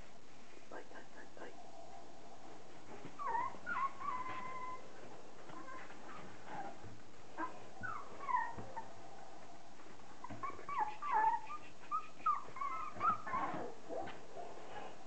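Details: Litter of 30-day-old Border Collie puppies, offspring of Kim and Andy; high, thin whimpers and yips come in clusters around the fourth, eighth and tenth to fourteenth seconds, over a low background with human voices.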